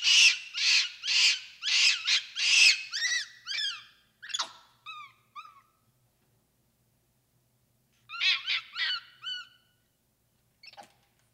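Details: Capuchin monkey giving a burst of harsh, noisy screams in quick succession, then clear arching chirps that fall in pitch, a pause of silence, and another cluster of high chirps ending in one faint squeak.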